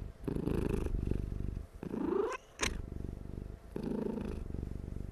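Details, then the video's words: Dozing cat purring loudly and steadily indoors, a low rumbling throb in long pulsed bouts matched to breathing, broken by a brief higher squeaky sweep midway before the purr resumes. "貓的打瞌睡呼嚕嚕-ASMR of cat"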